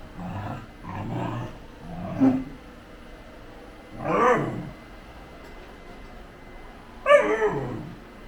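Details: Pet Great Pyrenees named GOHAN, kept in a family home in Thailand alongside an older German Shepherd, ROI. Deep, harmonic barks and woofs arrive in separate bursts near the start, middle and end, with quiet room noise between them.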